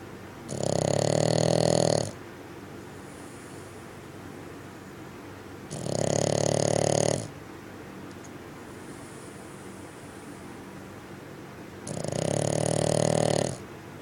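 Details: A sleeping Bugg dog snoring loudly indoors: three long, rasping snores of about one and a half seconds each, spaced roughly six seconds apart, with quiet breathing between them.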